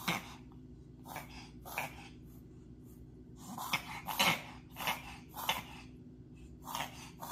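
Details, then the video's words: Male dog reverse sneezing, a spasm the vet linked to pollen allergy and judged harmless; harsh, rapid snorting inhalations come in bursts about twice a second, over a steady low hum. "If your dog is making a strange sound."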